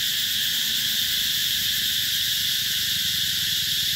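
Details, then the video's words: Cicadas calling summer at Mỹ Luông eco-tourism area, 2021: a steady, dense, high-pitched shrill buzz holds without a break, with no pauses or rhythm changes and no other clear sounds. "tiếng ve gọi hè một thời ký ức"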